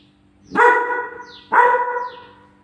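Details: German Shepherd puppy gets angry at its photo on the fridge, letting out two forceful barks about a second apart, each trailing off, with a steady low hum in the background.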